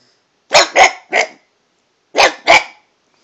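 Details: Domestic dog barking at a cat, varying its pitch: a burst of three short, harsh barks, a pause, then two more in quick succession, in an otherwise quiet room.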